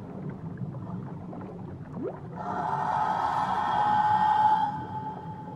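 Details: Whale voice from Tahiti waters: a quick upward sweep, then a long wavering tonal moan with rich overtones that swells and fades over about three seconds, set against constant underwater rumble.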